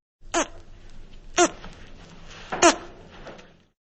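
A naked mole-rat gives three brief, sharp chirps about a second apart over a low background hiss.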